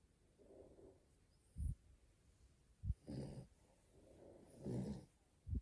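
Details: Female French Bulldog puppy, born 21 April 2020, asleep in the morning and snoring: low, rough, snorting breaths in uneven bursts with short quiet gaps, some longer and rasping, no background music.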